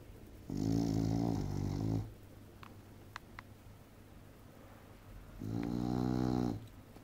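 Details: Sleeping female English bulldog snoring hard: two long, loud, rasping snores about a second and a half each, separated by a quiet pause of roughly three seconds with a few faint clicks, indoors.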